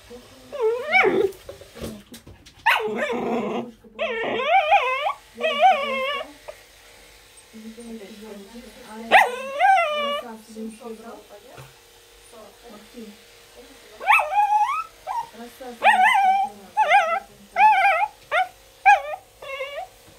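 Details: Baby Pembroke Welsh Corgi that hates brushing protests during grooming with repeated high, wavering whines and short yips, mixed with low grumbling growls, coming in clustered bursts with brief pauses between them.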